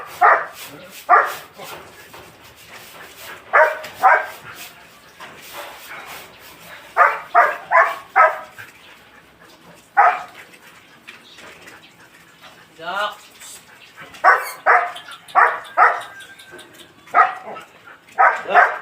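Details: Belgian Malinois barking in short, sharp bursts, often in quick runs of two or three, with pauses between volleys; a person's voice and quieter background noise fill the gaps.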